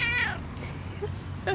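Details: Pet cat said to like singing about dogs, filmed indoors on a Flip camera: one drawn-out, falling harmonic meow at the start, a short second meow near the end, over a steady low hum.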